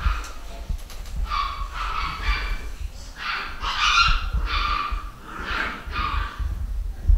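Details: A home-bred litter of pedigree Basset Hound puppies at a UK breeder in 2015 gives a run of high, tonal whines and whimpers, about six short cries in seven seconds, over a low rumbling background.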